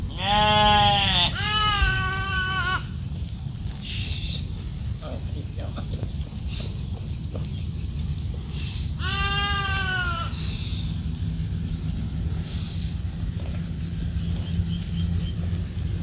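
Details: Goats and sheep at the roadside in India give loud, wavering, echoing bleats over a steady low rumble of road noise.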